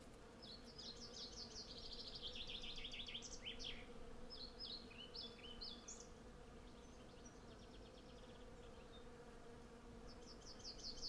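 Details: Honey bees in their hundreds work a blossoming cherry tree, collecting honey. Sennheiser MKH 8040 mics and a Zoom F6 capture a continuous deep drone, with clustered bird chirps and trills early on and again near the end.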